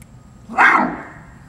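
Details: A captive barasingha (swamp deer, Rucervus duvaucelii) at Seoul Grand Park Zoo gives one short, harsh, bark-like call that fades quickly; recorded 6 December 2021.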